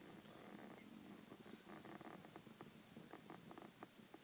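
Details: Pablo, a pet Chihuahua, snores loudly while asleep: a steady, purring rattle of rapid pulses with a low, rough texture that continues throughout.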